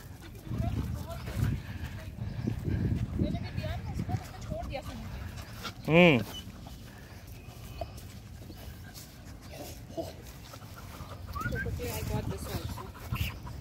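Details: A pet dog meeting another dog lets out one short, loud, ringing bark or yelp partway through, rich in harmonics, while a person talks and calls it to come here over steady handling noise.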